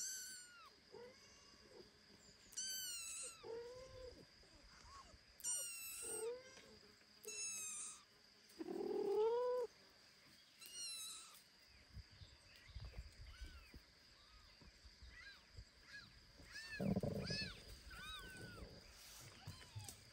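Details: Foster kitten Ginny, exploring the world and then carried home by foster mother cat Kira; scattered high arched mews, some short and chirpy, others longer and louder, with a steady high hum behind.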